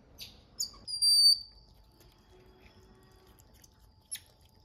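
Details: Endangered golden-headed lion tamarin twins, born October 7 at the Smithsonian's National Zoo Small Mammal House: clear, very high, pure whistles, one held steady for about a third of a second, among brief soft chirps and clicks indoors.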